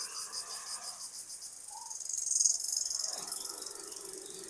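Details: Dawn chorus of crickets in a misty village: a dense, high buzzing trill with regular quick pulses. Softer low chirps and a brief murmur of other sound appear midway.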